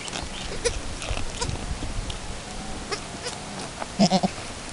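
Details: First kidding of Chiara, a Chamois Colored goat, with her newborn kid two hours after the birth while they attempt nursing: a faint early bleat, then a short run of three quick, tonal, stuttering bleats near the end over rustling and shuffling.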